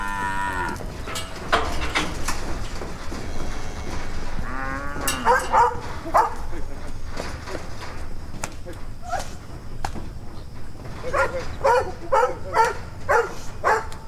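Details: Brahma, Hereford and Brangus cows gathered in a round-up for sorting calves; brief moos early and midway among trampling, rattling and short clipped calls, busy farm noise throughout.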